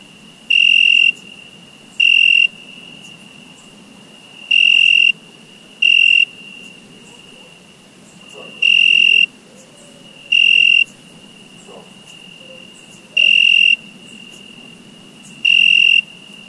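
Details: Summer crickets: eight sharp, high, buzzy chirps in loose pairs and singles, with a steady shrill trill beneath them and a few faint low chirps in the background.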